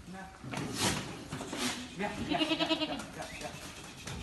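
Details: Goats on a farm of about 100 goats in Nashik, India: a quavering, pulsing bleat in the middle, with people talking nearby and other farm noise throughout.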